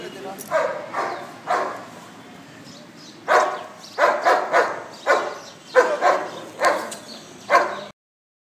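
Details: Huge Bull Terrier barking in short, sharp bursts: three quick barks, a pause of over a second, then a denser run of about ten barks, some doubled, before sudden silence; faint voices possibly underneath.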